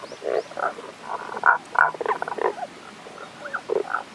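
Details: Tago's brown frog calling in the Kanto region of Japan on 1 April 2021, at a mountain stream, the frog unseen; short rough croaking notes in irregular bursts, several overlapping, with a few faint higher chirps.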